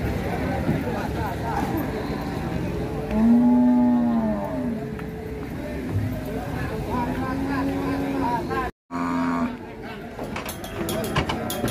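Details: Sacrificial cow getting down from a truck at Siyono Harjo market, one clear wavering moo and a fainter later one, mixed with people talking, vehicle noise and a short gap in sound.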